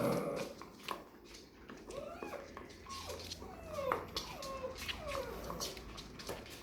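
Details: Labrador retriever puppies indoors, getting to know strange noises. Several short, whiny whimpers slide downward in pitch between about two and five seconds, over steady clicking, tapping and rustling in a small room.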